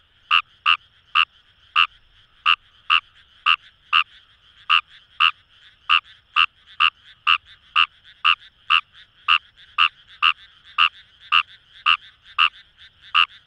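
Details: Fejervarya kawamurai in rice paddies by the Kamo River, Itoshima, Fukuoka Prefecture, Japan, giving a long run of brisk croaks, about two per second, fairly steady, with a continuous chorus of other frogs behind.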